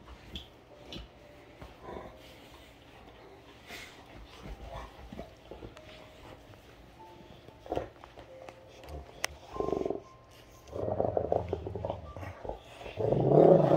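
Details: Great Danes playing indoors, the female Rhapsody going after the male Heartbreaker: mostly quiet scuffling at first, then loud rough growling and barking bursts over the final four seconds, with a person's voice in the room.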